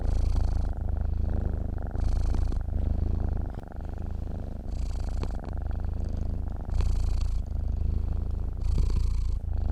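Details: A cat asleep, purring: a low, throbbing drone rising and falling in even breath cycles, roughly six louder swells with softer rumbling between them, quiet surroundings.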